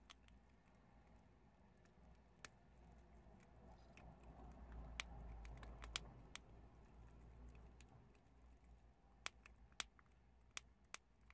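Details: Prairie dogs gnawing and crunching chickpeas make irregular sharp clicks, a few at a time and then a denser run of bites toward the end, heard against a quiet, slightly rumbling background.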